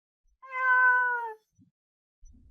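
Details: Lynx prowling its forest territory, giving one drawn-out harmonic mew lasting about a second, steady then sagging slightly at the end, followed by a few faint low thumps.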